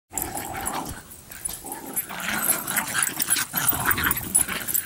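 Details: Three pet dogs, Bix, Banjo and Button, playing together with a Jolly Ball; low, rough growling runs beneath a busy, scuffling wash of play noise, with short harsher bursts rising toward the end.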